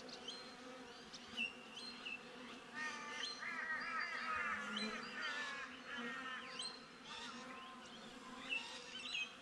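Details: Honey bees buzzing outside a beehive, recorded with a GoPro: a steady low hum runs throughout while birds sing repeated chirps and whistled phrases over it, loudest in the middle.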